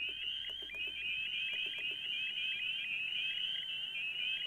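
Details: A dense chorus of spring peepers (Pseudacris crucifer), one of the first frogs to call, emerging around February: many high, sharp, rising peeps overlap in quick succession as the frogs call back and forth.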